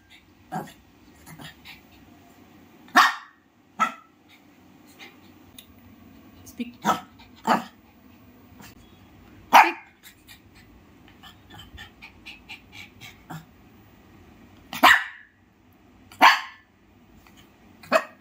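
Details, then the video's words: Shih Tzu dog giving scattered, irregular barks spaced a few seconds apart, with soft voices and faint rustling between them. "Shihtzu dog barking sound"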